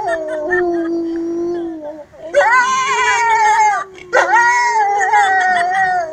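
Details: Several gray wolves (Canis lupus) howl together at Kostroma Zoo, their long drawn-out tones sliding up and down as the voices overlap.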